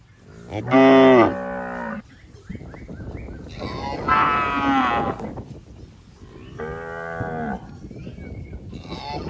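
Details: Tame, well-fed cows wandering through a rice paddy while grazing give a loud, rich moo after one second, a rougher, noisier one around the fourth second and a steadier lowing near seven seconds.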